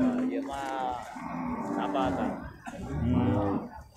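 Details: Beef cattle at the Purwakarta livestock market on Monday, 15 July 2024: two deep, harmonic moos, the first drawn out over about a second, the second shorter near the end, with market chatter and music behind.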